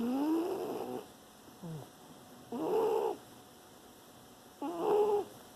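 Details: Sleeping dog snoring, September 2018: three raspy, tonal snore bursts with a wavering whistle-like pitch, plus a short soft snort in between, spaced roughly two seconds apart.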